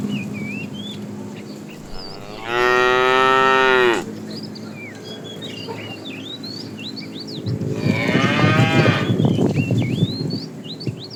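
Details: Calves among a herd of cows herded in the morning, wandering for food: two drawn-out moos, the first steady and clear for about one and a half seconds, the second rougher and noisier, with birds chirping throughout.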